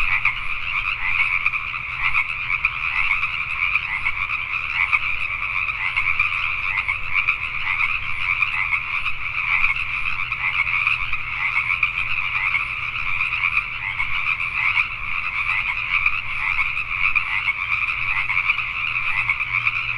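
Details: Pacific tree frogs calling at night in Richmond, British Columbia, Canada, many voices together forming an unbroken, buzzy croaking chorus that pulses steadily throughout, over a soft low rumble.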